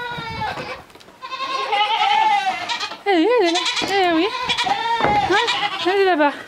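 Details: Miniature goat kid on a farm, following a person to go suckle its mother, bleating in long wavering cries that rise and fall, several in a row, mixed with a woman's coaxing French voice.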